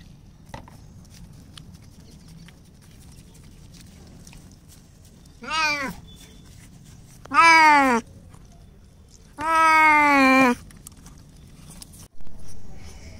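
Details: Frightened of bathing, Bengal cat Simba cries while washed outdoors instead of in the bathroom: three long, harmonically rich meows, each louder and longer than the last, roughly two seconds apart, then a short clipped sound at the end.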